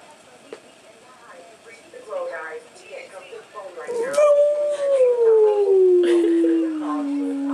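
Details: Ishmael, a dog who hates the answering machine and howls whenever it goes off, answers a caller's recorded voice. After the message's speech, a long, clear, tonal howl starts high and slowly slides lower for several seconds.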